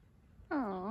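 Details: Cat called Sally, met outdoors in the Swiss Alps in 2021, gives one short meow of about half a second that slides down in pitch and lifts slightly at the end, over a quiet background.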